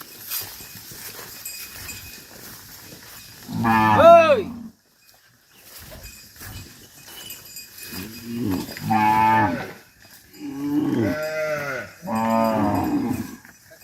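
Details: Dozens of tame cattle driven back to their farm pen: four separate moos, one strong bellow near four seconds then three more spaced about two seconds apart, over faint rustling background.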